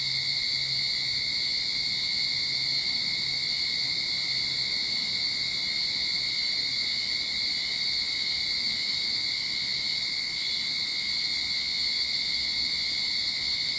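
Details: Sydney backyard recording from the beginning of summer: cicadas hold a relentless, steady high-pitched drone with a thinner whining band below, accompanied by a soft low hum in the background.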